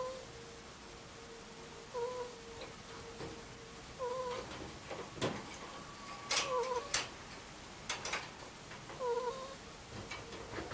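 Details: Mutchin, a sleeping two-year-old Angora ferret, gives soft whistled 'kuu-kuu' snores that recur about every two seconds. Each is a short bent tone. Scattered clicks and rustling sounds fall between them.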